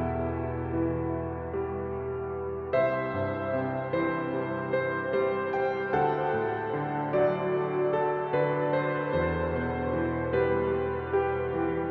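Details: Slow, gentle ambient piano music with sustained tender chords plays throughout.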